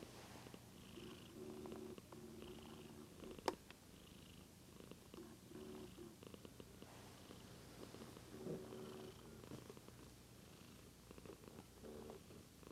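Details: Daisy, a little white pet cat, purring while filmed on a Lumix GH2 camera; a low, pulsing purr comes in rhythmic bursts of roughly a second with brief gaps, plus a single sharp click near the middle.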